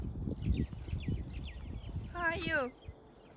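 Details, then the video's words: Cattle grazing together in a herd: one brief nasal call that slides downward in pitch near the end, after quick bird chirps, with constant grass-cropping and munching underneath. "Many cows are grazing together and making noises from time to time很多牛一起吃草，不时发出叫声"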